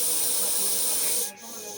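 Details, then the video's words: Warning hiss of a Russell's viper, the chandrobora sap (Daboia russelii): a harsh, sustained rush of air that cuts off sharply just past one second, leaving a quieter hiss behind. "Hissing or warning sound of deadly RUSSELL'S VIPER"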